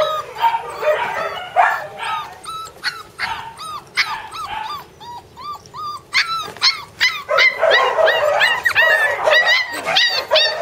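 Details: Border Collie puppy siblings yipping together: sharp, high, rising-falling yelps repeated rapidly, at times in clusters and at times spaced out, with whimpering squeals mixed between them.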